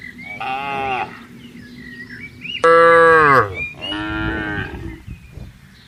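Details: Herded cattle walking on a green field: three harmonic moos, the first about a second long, a short louder bellow near the middle falling in pitch, then a third drawn-out moo, with faint chirping birds behind.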